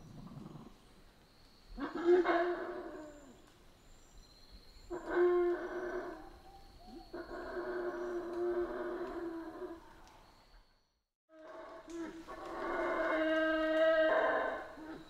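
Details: Howler monkeys in a Central American rainforest: deep, rough, droning roars come in separate bursts, one short, then longer sustained howls, with a brief silent gap before a final swelling chorus.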